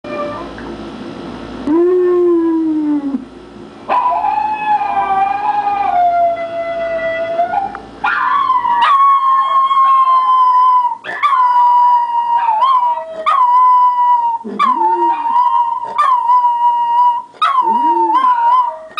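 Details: Schnauzers watching a video of a barking dog respond by howling in long, wavering tones with rising and falling slides, broken by short yips.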